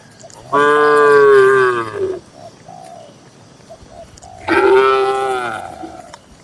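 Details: Tame cattle in a busy farm barn holding dozens of cows: two loud, drawn-out harmonic moos, each lasting about one and a half seconds and separated by a quiet gap, with faint cooing of doves in between.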